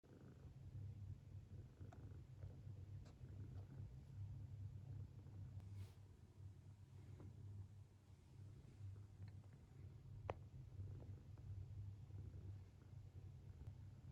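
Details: Sleeping long-legged Munchkin kitten snoring with a funny sleeping face: a low, steady rumble that swells and fades in gentle pulses throughout, with a few soft clicks and rustles over the top.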